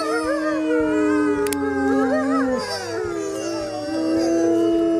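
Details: Wolf chorus: a long, flat low howl that drops off, while other voices wail with rising and falling bends. Faint musical accompaniment underneath.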